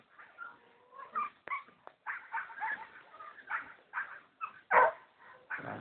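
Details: Young Jagdterrier, a puppy of 3.5 months, whines and yips almost continuously, with thin drawn-out tones and one loud sharp yelp near the end.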